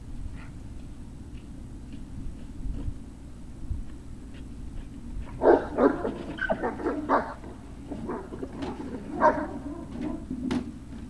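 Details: Great Dane puppies at Puppy Hill, recorded 03-06-2019 around 16:24, give a burst of short yips, whimpers and bark-like cries in the second half, over a steady low indoor hum after a quiet start.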